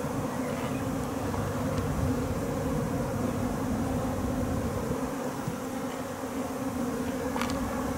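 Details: Japanese honey bees swarming and being taken into a hive, second swarm from a home's overwintered colony; a steady buzzing hum over a heavy low rumble, with a few short sharp clicks.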